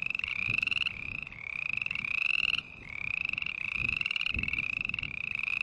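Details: Green tree frog calls come as fast pulsed trills, each rising a little in pitch over about a second and following almost back to back, with a brief quieter gap midway and faint low background noise.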